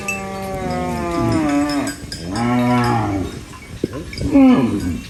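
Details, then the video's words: Cow eating banana leaves on a farm lets out a long, slowly falling moo, then a shorter lower moo, and ends with a brief rising-falling call. "Funny cow eating banana leaves Mooing Sounds"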